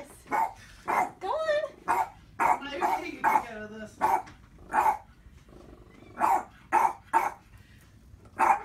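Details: A male Boston Terrier barks at his own reflection in sharp, mid-pitched, quick uneven bursts, with a person talking between them.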